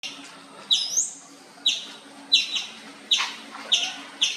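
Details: Indian palm squirrel chirping loudly: sharp, high chips with short fading tails, seven in about four seconds at uneven spacing, over a faint steady hum.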